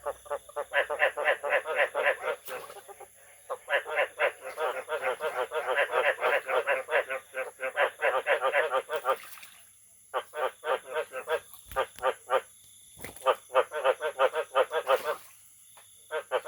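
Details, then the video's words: Frogs calling in long, dense bursts of rapid pulsed croaks, several runs of a few seconds each broken by short pauses, with faint rustling between bursts. "The sound of frogs crying is so sweet"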